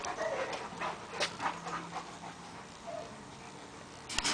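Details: Boxer and Great Dane playing together: steady rapid panting with a couple of brief high whimpers, soft scuffling, and a sharp thump at the close.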